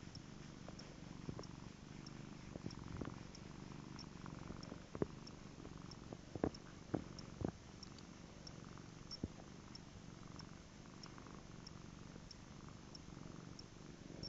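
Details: Domestic cat purring softly; a steady low rumbling purr throughout, with a few faint clicks and taps, quiet indoor background.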